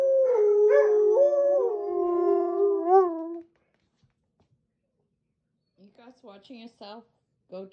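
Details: Two female Alaskan Malamutes indoors in spring, howling on seeing their sled dog friends on a screen: a long, steady, wavering howl with rich harmonics for about three seconds, then a woman talking.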